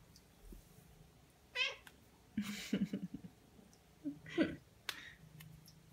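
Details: Ragdoll cats Ao and Aki, aged one year one month and ten months, kept indoors, greet their owner in the morning on waking. Two or three harmonic, rising-falling meows with low rustling and soft human murmurs in a small room.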